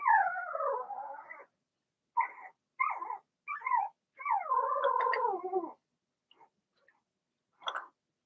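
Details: Young Blenheim Cavalier King Charles Spaniels, a litter of six (two females, four males) kept in a home puppy pen. A long falling, wavering whine leads into a few sharp yips, then a second drawn-out quavering whine and a last short squeal.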